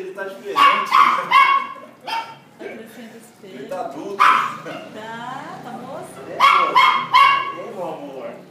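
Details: Thor, a Cocker Spaniel, at his reunion after 14 months apart. Sharp yips come in twos and threes, and wavering whimpers sound between them, mixed with people talking in Portuguese.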